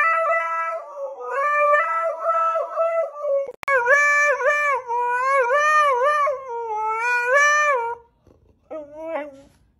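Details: Husky howling, its so-called song: loud, long, wavering howls in several rising and falling phrases. A brief break comes partway through, and a shorter, softer howl ends the sequence.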